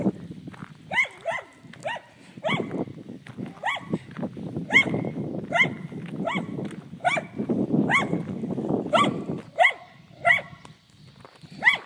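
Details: Dog barking at cows outdoors: a long run of sharp, high barks, singly and in pairs roughly every half second to second, over a continuous low rumbling background.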